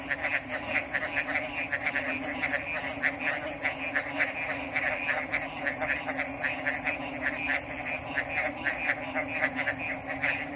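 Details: Several frogs call together, giving rapid, overlapping clicky pulses that never pause. A steady high-pitched whine runs over them and a faint low hum sits beneath.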